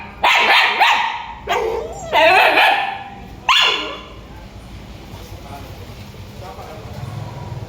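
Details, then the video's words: Dog barking loudly, three loud harsh barks within the first four seconds, each with strong harmonics, then quieter background noise with faint sounds. "Dog sound/ Dog barking loud"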